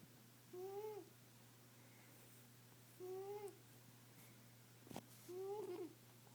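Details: Female pet cat snoring indoors: squeaky, tonal wheezes around each breath, slightly rising then falling, repeating about every two and a half seconds, with a steady low electrical hum underneath and one sharp click.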